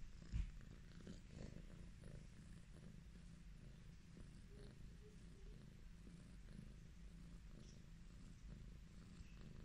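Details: Highland Lynx cat named Chucky purring contentedly under petting; continuous deep, throbbing rumble with slight rhythmic pulsing, a short knock at the start and faint handling noises.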